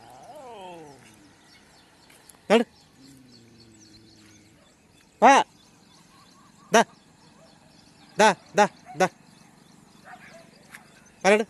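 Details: Pet dogs unexpectedly fighting with street dogs on a morning walk: sharp, loud barks, about seven over nine seconds, spaced irregularly with some in quick pairs, between quieter stretches of human speech and faint outdoor background.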